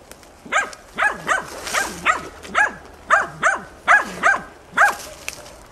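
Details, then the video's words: Steady, insistent baying by hunting dog Tina holding young wild boar at bay in a training session, 6 March 2013; about eleven evenly spaced barks, each with a pitch rise and fall, over quiet outdoor background. "odlicno goni i uporno oblajava d.nazimad"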